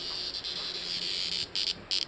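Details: A cicada (kuliglig), found and toyed with during an evening of drinking, gives a steady, high, shrill buzz that swells into louder pulsing bursts.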